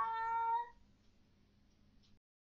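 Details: Fluff, a domestic cat vocal at night about perceived ghosts, gives one clear, steady, high meow lasting under a second, followed by quiet room hum.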